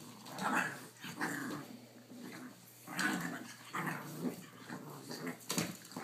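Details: Primo, a Boston Terrier dad, romps indoors with his puppies Briar (3 months, blue) and Vdara and Asher (5.5 weeks), filmed by cell phone; short rough growls and grumbles come in bursts about every second, with pauses between.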